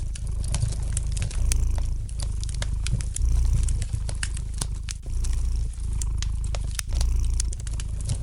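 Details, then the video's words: Domestic cat purring gently indoors beside a fireplace: a deep, steady rumble swelling and easing in slow cycles about every two seconds, with light, sharp crackles and pops from the burning fire scattered throughout. "Relax to the gentle purring of the cat and the light crackling of the fire in the fireplace!"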